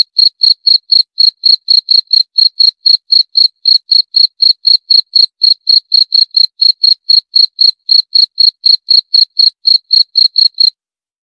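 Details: Cricket chirp train of sharp, high-pitched pulses, about four per second, running evenly until a short silence at the very end.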